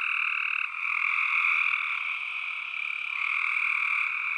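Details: Steady, dense tree frog chorus, overlapping high croaks fused into a continuous shrill drone with small shifts in pitch and loudness; no other noise heard.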